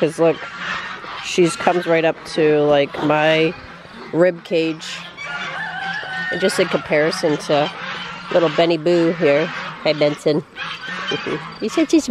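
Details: Great Dane puppies, six weeks old, hate their first bath; frequent loud, squealing whines and yelps pile up in rapid bursts with brief pauses between.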